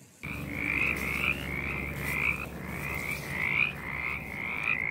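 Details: Mountain chorus frogs in a Virginia forest, where they gather at small water-holding spots such as puddles on gravel or logging roads, give short, raspy rising trills, repeated and overlapping in a steady chorus.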